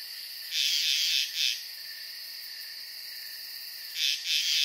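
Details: Frogs calling at night by a pond: a longer, buzzy, trilled chirp followed by a short one, a pause of over two seconds, then two more short high chirps, all over a continuous shrill hum.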